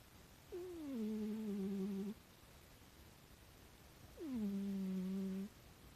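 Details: A rescued house cat snoring softly indoors: two drawn-out, low, steady tonal snores, each gliding down briefly at the start and then holding level for about one and a half seconds, separated by a quiet pause.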